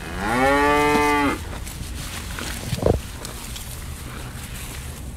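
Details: Bull eating elephant grass gives one drawn-out moo lasting just over a second, rich in stacked harmonics and slightly rising at the start, followed by quiet background with a faint low hum and a short knock.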